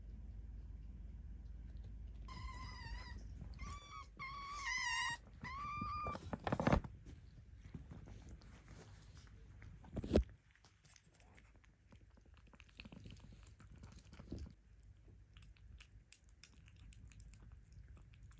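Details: Hungry kittens cared for by cat volunteers in Tama City, Tokyo: five quick wavering meows between two and six seconds, followed by handling thumps, a loud knock near ten seconds and soft indoor noise.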